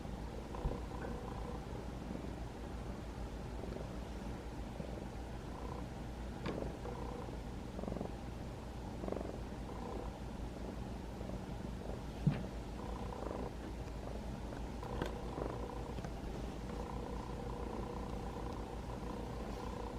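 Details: Kitten about five months old, rescued through trap-neuter-return and settling into house life, purrs as it is gently stroked, the purring louder than in earlier days; an even low rumble lasts the whole stretch, with occasional small clicks.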